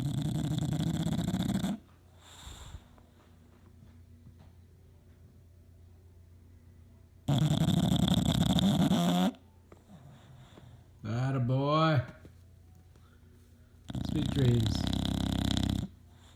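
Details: A 2-year-old male English Bulldog snores in loud, rasping bursts, each about two seconds long, with quiet pauses between, while napping on his favourite leather chair.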